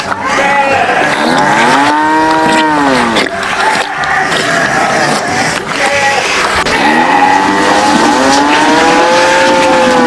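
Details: Farm cattle jostling and competing over food give several long, arching moos in turn, each swelling and falling in pitch, with a steady background rumble and hiss throughout.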